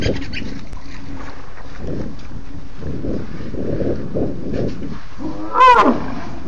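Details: Large herd of African elephants with many young calves, wild on safari, Sept 29, 2016, 3:20 p.m., vocalizing a lot: a series of low rumbling pulses, then a loud brassy trumpet rising and falling near the end.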